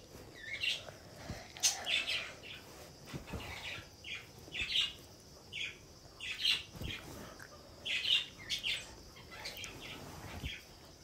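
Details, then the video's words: Squirrel, named by its Hindi name gilhari, giving sharp, high chirps in short clustered bursts that repeat irregularly about every second, with a few soft low thumps between them. "Cute gilhari video"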